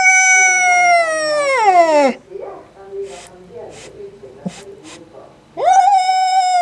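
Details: Angry male domestic cat yowling at a black cat resting outside: a loud, harmonic-rich wail that slides steadily downward into a low tone, then quieter murmurs, then a new yowl rising sharply and holding high.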